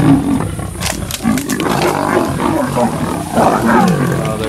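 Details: Sub-adult lions of a pride, twelve animals, catching and killing a male leopard at MalaMala Game Reserve; harsh, rasping growls and snarls overlap continuously and loudly, with a faint human voice.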